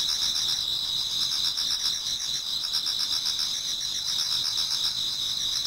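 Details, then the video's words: Towards dawn in a Japanese garden in autumn, many insects keep up an unbroken high trilling chorus, overlaid by clusters of quick rhythmic chirps at roughly four a second. "Autumn Insects voice Towards dawn"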